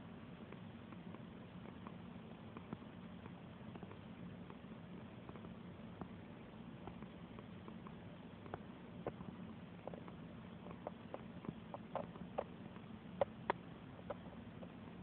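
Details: Domestic cat purring while being petted: a steady, low, rumbling purr runs through the whole recording, with soft scattered clicks and rustles from the stroking hand.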